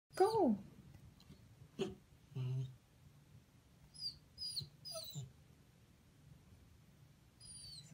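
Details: Wolfadoodle dog indoors, wanting to get up on a couch: one loud moaning whine sliding downward opens the clip, followed by faint, thin, high squeaky whimpers and a steady low hum in the room.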